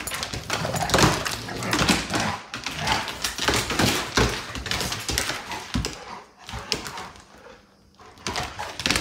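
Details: Two dogs, a Great Pyrenees and a Golden Retriever, playing together at home: dense, rough growls, grunts and huffing bursts come in quick overlapping rushes, then thin out into scattered scuffles before rising again at the end.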